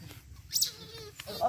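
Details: A young otter being bathed gives brief high squeaky chirps and a short whining cry.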